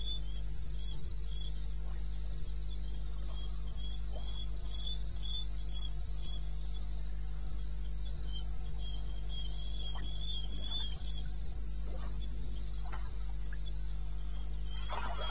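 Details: Night chorus of crickets in eastern Botswana wilderness, recorded 02:30 AM, 21 May 2016. Rapid, even, high-pitched chirps repeat almost four times a second, a fainter lower pulse alongside, and a deep steady hum fills the background.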